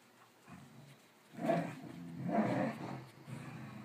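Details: Playing dogs: Sonic, a cattle dog crossed with a rat terrier, and Stella, a smooth-coated border collie, running laps in a game of their own invention. Two loud, rasping growls rise out of quiet background, followed by softer grumbling.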